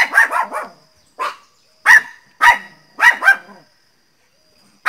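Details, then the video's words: Pinscher dog Teco crying out loudly in barks: a quick run of four yaps, a softer single bark, then sharp barks in pairs and singles roughly half a second apart. "pinscher latindo bravo - pinscher latindo alto - cachorro pinscher latindo"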